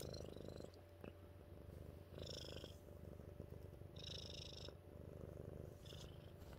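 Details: Mittens, a pet cat, purring steadily as a low continuous rumble with a rhythmic pulse throughout, while brief higher hissy bursts recur every couple of seconds in a small quiet room.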